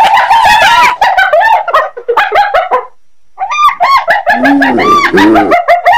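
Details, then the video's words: Hyena giving rapid, overlapping bursts of arched, harmonic yelping notes that tumble over one another, with a brief pause midway before the excited chatter resumes. "Ternyata Seperti ini Suara HYENA"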